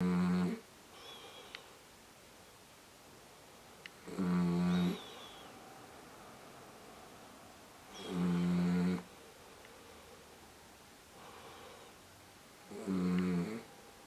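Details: Sleeping miniature dachshund, a female lying with her eyes open, snoring indoors: four low, harmonic rasping snores, each lasting under a second, spaced about four seconds apart in a quiet room.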